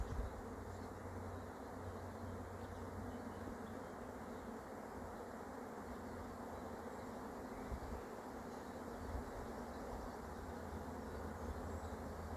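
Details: Dense, unbroken hum of an arriving honey bee swarm during its capture, many wings blending into a steady buzz over a constant low drone.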